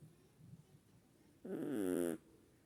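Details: A single snore from sleeping Chihuahuas, a rough, vibrating breath under a second long that rises out of a quiet background after a soft faint murmur.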